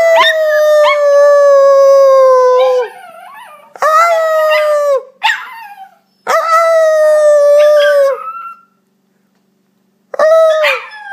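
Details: An Italian Greyhound puppy howls in long, steady, slightly falling tones, broken by short yips.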